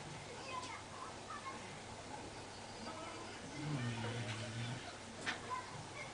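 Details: Larry, a Basenji, asleep and snoring in a quiet indoor room; one low, droning, buzzy snore swells for about a second midway, with faint soft clicks and a hushed background.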